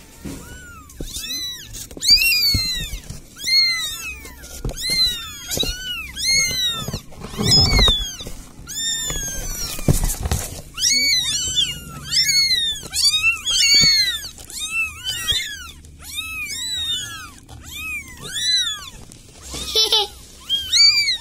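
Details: Village cat asking for help: a long run of rapid, overlapping high meows, almost continuous, with thumps and handling noise around the middle and a low background rumble.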